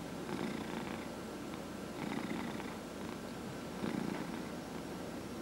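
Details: Massaged domestic cat purring indoors, one of four cats; low steady rumbling purr rising in three rhythmic swells with rasping highs, faint constant tone.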